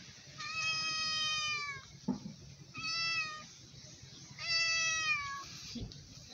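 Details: Hungry stray cat begging loudly for food, giving three drawn-out meows, each about a second long and dipping slightly at the end, spaced roughly two seconds apart, with faint knocks and a low background hum between calls.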